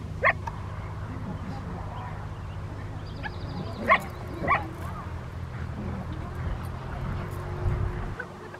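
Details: Rottweilers Freya vh Odoms, Poncho and Peaches during obedience training with distraction at Victoria Rottweiler Club, May 2, 2021. Three short, sharp barks stand out near the start and middle over a steady low rumble, with faint voices in the background.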